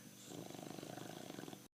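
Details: Pancho the bulldog snoring steadily: a fast, evenly pulsed guttural rattle throughout, ending abruptly.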